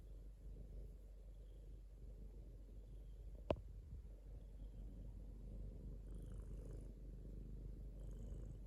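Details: Domestic cat purring indoors, a steady low rumbling drone throughout with one sharp click midway and faint high squeaks near the end.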